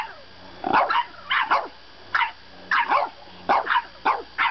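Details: Shrill indignant yaps from a French bulldog puppy arguing about bedtime, grouped in quick doublets and triplets with brief pauses, slightly nasal and falling in pitch.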